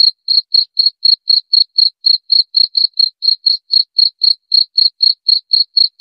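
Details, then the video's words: Cricket chirping in a steady train of short, high-pitched pulses, about four per second, evenly spaced throughout against a silent background. "Suara Jangkrik Pengusir Tikus Ampuh"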